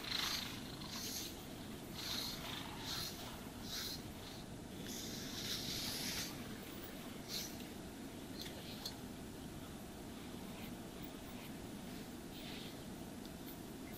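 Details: Cat purring during brushing and grooming: a constant low buzzing rumble with scratchy brush strokes heard more often in the first half, then mostly the purr alone, no voices.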